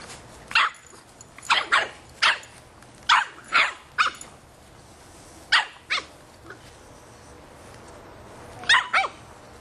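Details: Boston Terrier puppy, three and a half months old, barking at a soccer ball; sharp high yaps come singly and in pairs, about nine barks spread unevenly with pauses between, over a quiet background.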